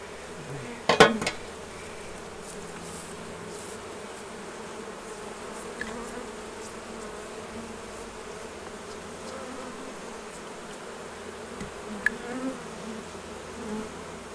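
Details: Honey bees hum around the hives during the honey harvest, a low steady drone under a few sharp knocks and clatters near the start and again near twelve seconds.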